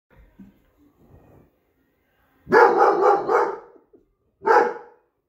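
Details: An 8-month-old Briard puppy, a natural guard-dog breed, gives a run of rough, full-throated barks, then a single bark after a pause.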